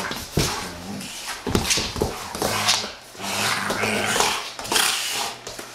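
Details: Indoor play between two Giant Schnauzers, the young female Ice, 15 months old, and the tolerant male Haanz: low rumbling growls drawn out in steady harmonic bands, broken by sharp noisy bursts of scuffling and panting.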